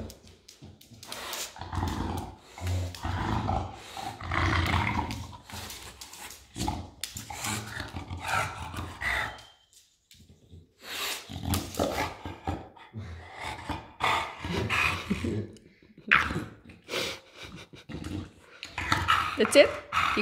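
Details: Enzo, a pet English Bulldog, working at a bag of mandarins with his paw; broken series of throaty grunts, snorts and low growls with short pauses, plus rustling and handling noise.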